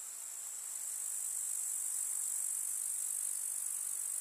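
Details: Chirping grasshoppers in a rural summer meadow among wildflowers: an unbroken, very high, fizzing trill that grows a little louder during the first second, then stays even.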